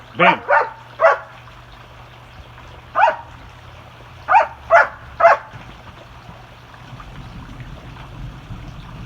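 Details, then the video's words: Playing dogs bark in short clusters: three quick barks, a lone one, then three more in close succession, followed by a quieter stretch with faint background noise and some voices. "Some Much Noise While the Dogs Play"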